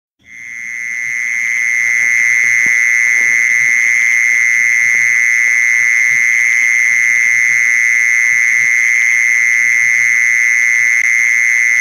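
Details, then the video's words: Mole cricket call used as a lure to attract mole crickets: a steady, unbroken high-pitched trill that swells in over the first second and then holds an even buzzing tone throughout, with faint low clicks and rumble beneath. "เสียงล่อแมงกระชอน แมงจีซอน"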